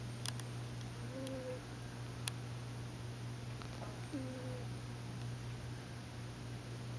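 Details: A big, fat pet cat asleep with a twitching face gives two soft, brief nasal whistling snores about three seconds apart, each with a faint low undertone, over a steady low indoor hum.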